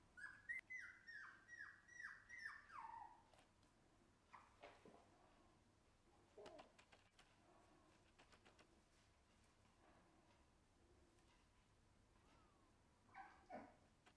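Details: Shiba Inu puppy whimpering: a quick run of thin, high whines, each sliding downward, about six in the first three seconds. Scattered fainter whimpers and soft knocks follow, and a last short whine comes near the end.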